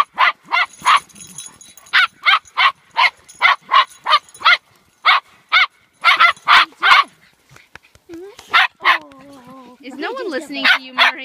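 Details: Rapid bursts of barking while a household pack plays together: Max the Boxer, Nanuk the Alaskan Malamute and Yuki. About three barks per second come in uneven volleys, then pause, and human speech joins near the end.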